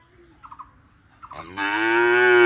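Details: Bullock lowing at an Indian farm cattle shed, captured by a CCTV camera. Faint chirps come first, then a loud, deep moo rises and holds until the end, its harmonics stacked and strong.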